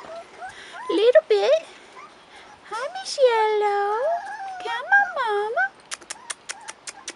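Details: Rottweiler puppies, 4.5 weeks old, outside for the first time: long, wavering whines that rise and fall, several overlapping, with shorter yelps before and a run of sharp clicking taps at the end.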